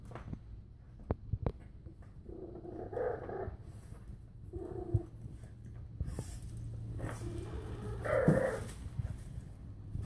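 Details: French bulldog puppies in Calgary give short, nasal whining yelps in several bursts over a low background rumble.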